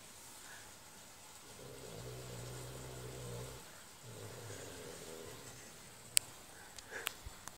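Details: A French Bulldog in deep sleep snores with low, rumbling breaths in two long, rasping pulls.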